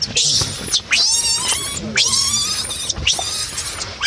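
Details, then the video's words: Baby monkey screaming in distress: three long, loud, shrill wails, each rising sharply then holding a strained, harsh tone for about a second before breaking off. "My Baby is So Cry, Screaming Sound Monkey Baby"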